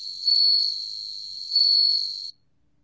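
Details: A bell cricket, recorded in 2020, sings a clear, high, tinkling tone, steady like a small ringing bell, which swells louder twice about a second and a half apart, then cuts off abruptly into silence.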